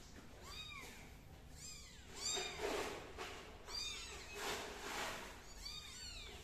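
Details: MiMi's kitten crawling on the floor, uttering high arched meows in small clusters, with bursts of broadband rustling noise between calls.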